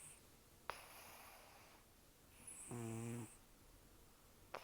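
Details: Snoring of Taro, a rescued senior cat estimated at 10 to 14 years old, taken in during October 2024, with almost no teeth after long outdoor life. A single low, buzzy, rattling snore of about half a second rises out of quiet breathing, with faint clicks nearby.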